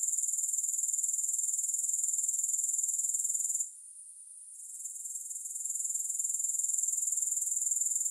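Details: High, hissing grasshopper chorus with rapid regular pulses near four per second, no music; a pause of about a second near the middle, followed by a slow fade back in.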